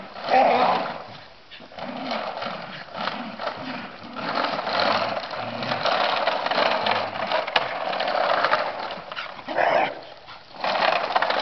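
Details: Several excited Scottish Terriers, described as all mad, make a rough, continuous din of growls and gruff barks that swell and fade over about eleven seconds, with clattering noise running underneath.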